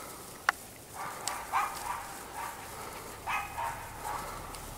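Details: Young Cairn Terrier pups at a kennel in Escaudes give a run of brief, high, nasal whines and squeaks, several in quick succession, with a sharp click near the start and a person saying "okay" afterwards.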